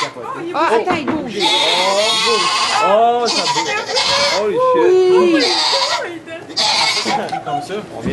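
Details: Bleating goats at a kidding in a Quebec sugar shack, Canada, just as a newborn kid emerges, filmed on an iPod Touch: several short, arched, wavering cries woven between loud, excited French-speaking voices.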